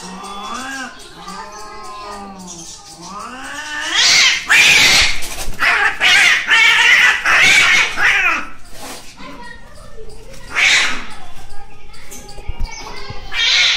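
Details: Cats fighting: wavering, moaning yowls rise and fall at first, then erupt into loud, harsh screeching bursts of fighting, with further shrill cries toward the end.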